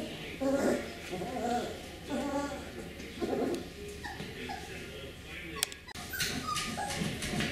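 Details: Young Beagle puppies of one litter giving repeated soft whines and whimpers in short bursts roughly every second, mixed with a person's speech and light handling noise.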